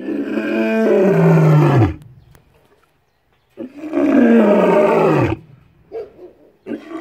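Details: A male lion roars up close at Cheetah Experience, South Africa: two long, deep roars that sag in pitch, followed by short grunting exhalations.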